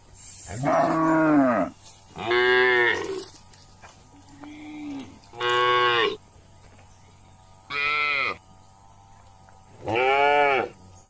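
A cow gives a series of loud, drawn-out moos, each about a second long with pauses between.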